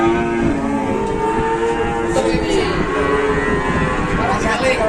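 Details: Cattle brought to market for slaughter give drawn-out lowing with a wavering, arching pitch in the middle, over steady crowd chatter and vehicle rumble.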